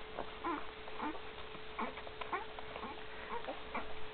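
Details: Week-old Great Dane puppies with Gracie in 2012 give short, plaintive squeaks roughly every half second, some slightly two-toned, over a low steady hum and faint rustling.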